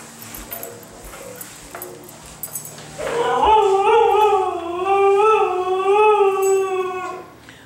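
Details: Female Siberian husky, restless after a two-day move with no exercise, breaks into a sustained wavering howl lasting about four seconds after a quiet stretch with faint speech and background noise.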